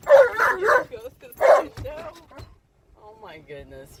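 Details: Alaskan Malamute Tonka, excited in a car at the park, lets out loud yowling howls, then softer wavering whines trailing off, with a few words of human speech mixed in.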